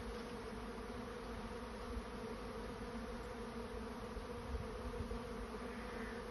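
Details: Swarming honey bees seeking a new nest site, heard as a continuous dense buzzing drone with an even, unbroken hum throughout and no other clear sounds.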